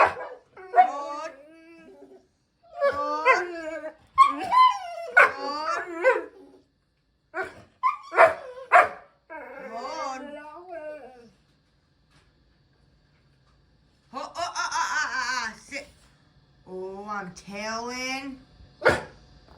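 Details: A dog whines and yelps in high, wavering bursts while being offered a treat and told to sit, with a person talking nearby.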